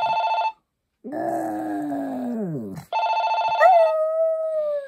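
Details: Poppy the Maltese howls in a long, gently falling tone that slides down at the close. The ringing resumes, and a higher, thin whining note follows it.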